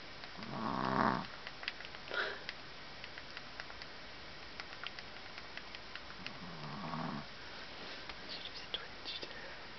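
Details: Tired puppy Daisy, dozing in Minnesota in July 2010 after a long afternoon chasing her sister Mylie, lets out a fluttering snore, then a softer, lower one about six seconds later, in a quiet room.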